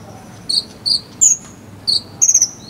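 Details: Cricket (jangkrik) chirping, recorded as tutor sound for a konin bird, Cililin: loud, clear high-pitched tonal chirps, some short and single, one a quick buzzy trill of four pulses, over faint low background noise.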